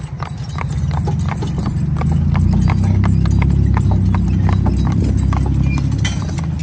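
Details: An 8-year-old mare and her 4-year-old son, a spotted draft/Haflinger cross team, pulling together. Brisk hoof clicks, roughly three or four a second, ring over a loud, deep rolling rumble that swells midway.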